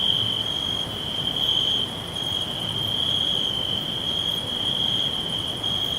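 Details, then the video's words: Forest crickets give a continuous shrill trill at a constant high pitch. It dips slightly in loudness just before the two-second mark and then carries on evenly, over a low rushing background noise. "Natural Green 🌲Forest With Crickets Whispering All Round"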